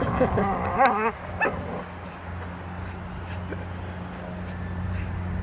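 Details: Lily, a seven-month-old Rottweiler, barking at the start of protection work with a helper on March 27, 2021; three or four sharp, quick barks in the first second and a half, then only a steady low engine hum.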